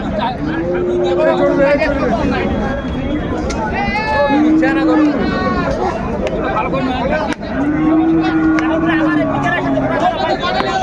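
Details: Sahiwal bulls at a cattle market in Noakhali, Bangladesh, February 7, 2025: several long, level, droning moos, each a second or more, over constant crowd chatter and background music.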